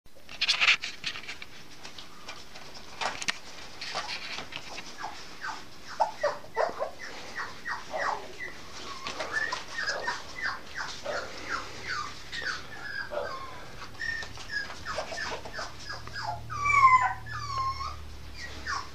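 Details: Norfolk Terrier bitch puppy, eight and a half weeks old, recorded 5 May 2015, giving a long run of short descending whimpers and squeaks, quiet at first, then rising to higher squealing whines near the end amid faint shuffling.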